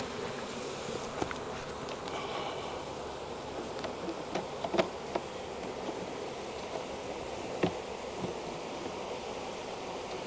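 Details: Wild honey bee swarm hanging from a tree branch during capture into a five-frame nuc box: a dense, steady low hum of many wings, broken by scattered sharp clicks and taps of handling.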